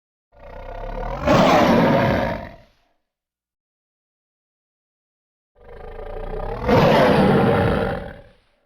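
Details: A Bengal tiger (Panthera tigris tigris) in a forest gives two deep, drawn-out groaning yawns, each swelling louder before fading away.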